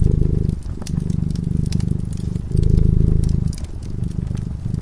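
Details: A cat drifting into slumber before a crackling fire gives a rich, throbbing purr in long, loud stretches separated by quieter breaths, with scattered crackles from the fireplace.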